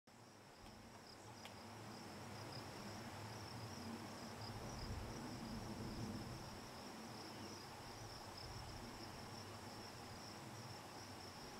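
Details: Hadoa inaudita cicada buzzing on a juniper tree in Picket Wire Canyon, southeastern Colorado, on July 9, 2009, around 8 PM: a steady, unbroken high buzz holds throughout over a low rumble of background noise.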